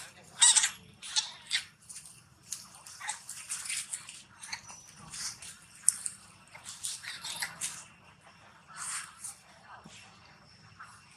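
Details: At the Angkor Wat temple zone in Cambodia, a monkey hurt while playing with a bigger monkey gives shrill, piercing screams in rapid bursts, crying loudly in pain and calling for help.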